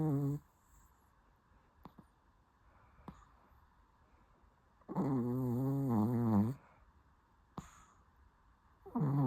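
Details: Sleeping Shih Tzu snoring: long buzzy, wavering snores with a low droning base, one lasting nearly two seconds, separated by quiet gaps with faint clicks in a small room.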